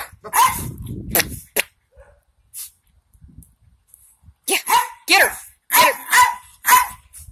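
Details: Jack Russell Terriers, two of them kept together, with one called Molly. A few isolated barks are separated by quiet gaps, then a quick run of three or four sharp barks near the end, with a person's voice urging them on.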